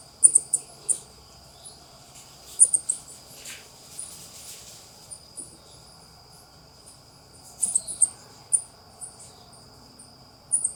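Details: Ring-tailed coati (Nasua nasua) chattering in bursts of rapid, piercing high chirps and squeaks, clusters separated by quieter gaps, against a continuous shrill insect-like drone and soft rustling.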